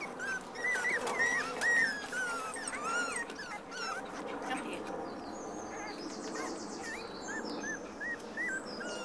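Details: A litter of black and black-and-white Cocker Spaniel puppies playing with each other and their mother, giving many high, rising and falling squeaks and whimpers, overlapping quickly; a brief greeting voice at the start.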